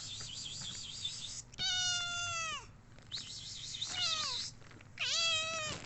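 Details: Domestic cat meowing for attention: three harmonic-rich meows, the first long and steady before dropping at its end, the next two shorter with a falling then upturned tone, over continuous high chirping birds in the background.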